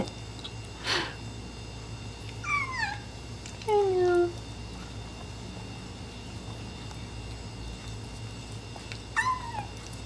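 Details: Young Abyssinian cat crying while eating his first meal of raw greens mixed into canned kitten food; several short falling meows spread over ten seconds, one lower and drawn out, amid quiet indoor room noise and a brief thump.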